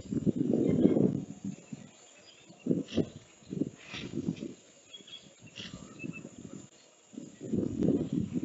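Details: African elephants at the Okaukuejo waterhole on 18 November 2022 give deep, throaty rumbling calls in uneven bursts with quiet pauses, as the largest elephant arrives to drink.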